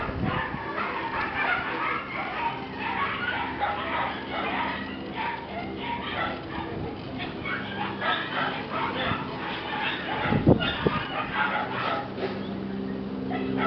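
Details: Red-coated female Shiba Inu puppy at a breeder's kennel, giving rapid high-pitched yips and whimpers in dense bursts throughout, with a loud sharp bark near the end and human voices faintly beneath.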